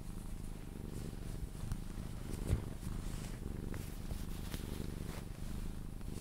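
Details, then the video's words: Sphynx cat purring during cuddles until asleep: a quieter low purr with breathing rhythm, overlaid by light rustles and a brief thump. "CUDDLING MY SPHYNX | 10 MIN CAT PURRING CUDDLES"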